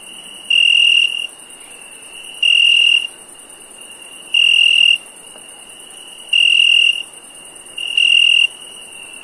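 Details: Cricket chirping at night: five steady, shrill half-second chirps, one about every two seconds, over a constant high, thin hiss of other insects.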